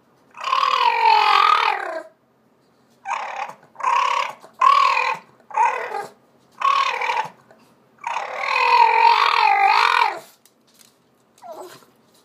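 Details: Hungry Boston terrier Brutus, 14 years old, loudly voicing his demands: two long wavering howl-moans about two seconds each framing a string of short barking grumbles, then a faint final whine.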